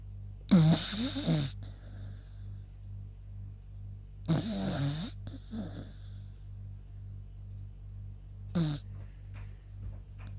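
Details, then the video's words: Yuta, a female beagle tired after a walk, snoring: three rasping, breathy snores roughly every four seconds, each with a rough rattling onset, over a steady low background hum. "СОБАКА ХРАПИТ"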